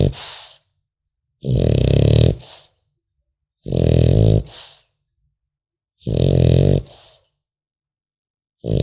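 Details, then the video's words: Sleeping French Bulldog puppy gives rhythmic guttural snores, each roughly a second long and followed by a brief breathy exhale, repeating about every two and a half seconds in a quiet room. "Храп щенка французского бульдога"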